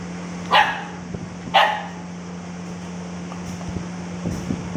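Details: Cute dog giving two sharp, loud barks about a second apart, then quiet apart from a steady low electrical hum and a few faint knocks.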